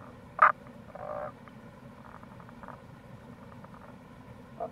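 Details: A Tago's brown frog near a gorge at the Kamo River, Itoshima, Fukuoka, Japan, in April gives one sharp croak followed by a brief grating rattle, then faint distant calls over steady flowing-water noise.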